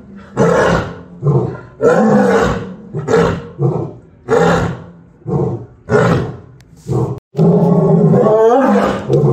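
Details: Lioness giving a run of deep, throaty roaring grunts, about one every second, each swelling and fading, ending in a longer, drawn-out rasping roar.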